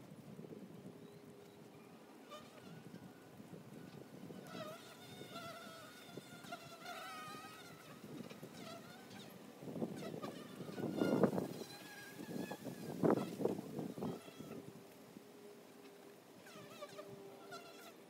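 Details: Honey bees at the entrance of a hive, a steady low buzz of many wings with passing flight tones swelling louder near the middle, while chirping birds twitter higher above throughout.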